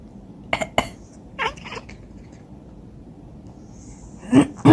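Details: A cat answers coughing with chattering: a pair of coughs, a brief stuttering run of nasal chirps, quiet, then more coughs with a short chirp closing.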